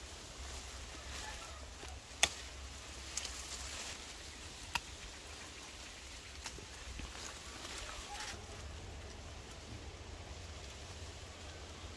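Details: Quiet rural outdoor ambience with steady broadband hiss, a low rumble and a few sharp clicks; no animal voice stands out.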